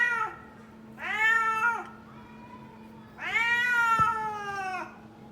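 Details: Kitten; meow; calling for food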